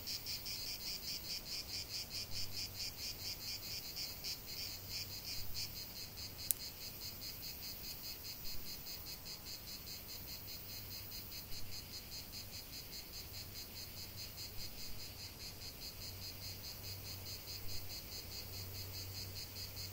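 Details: Cicada chorus outdoors, a continuous high buzzing with fast pulses, accompanied by an intermittent low hum and a single sharp click partway through.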